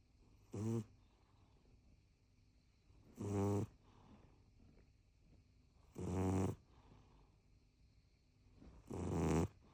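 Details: Rescue cat aged four years seven months snoring loudly, with four low, rattling breaths at a steady pace of roughly one every two and a half to three seconds, separated by near silence.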